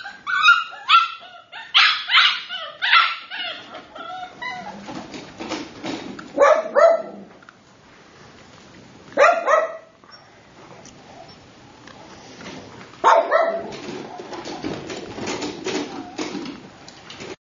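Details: Red tri female Miniature Australian Shepherd puppy giving bursts of sharp, high barks. Rapid runs at the start are followed by spaced single barks and short clusters over about seventeen seconds, with brief quiet gaps.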